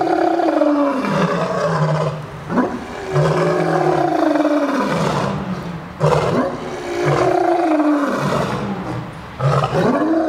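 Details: Captive lion roaring at the St. Louis Zoo, December 12, 2014. Loud, throaty roars come in a series, each swelling then dropping low, about every three seconds, with brief intakes of breath between them.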